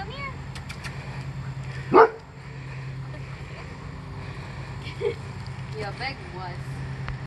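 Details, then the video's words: A pet Golden Retriever, frightened of a deer bow target, gives one loud, sharp bark early on and a softer bark later, over people talking and a steady low hum. "Golden Retriever Is TERRIFIED Of Deer Bow Target"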